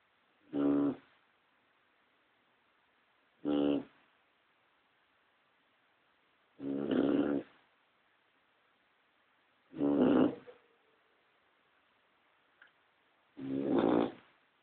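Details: Cocker Spaniel snoring in its sleep, another dog resting silently beside it; five short, harmonic, rasping snores spaced about three seconds apart, with near silence between breaths.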